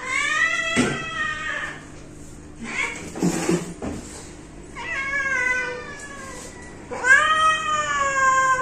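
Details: Pet cat meowing repeatedly: a meow at the start, then two longer, slightly descending meows near the end, with brief clattering and a faint voice in the gap between them.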